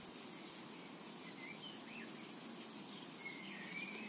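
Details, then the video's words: Shrill, pulsing cicada buzz over a summer meadow, with slurred whistled bird calls and a low murmur beneath. "Summertime and Cicada Ambience"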